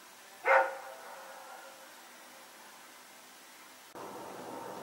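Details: Rex the dog, one of two dogs running around at night on Sep 21, 2018, gives a single sharp bark early on, followed by a long quiet stretch and then a sudden rise in background noise.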